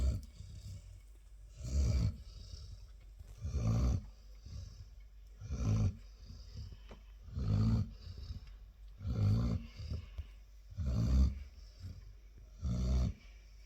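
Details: Chilly, a Labrador Retriever, snores steadily. Low, throaty rumbles repeat about every two seconds, seven in a row, with soft pauses between.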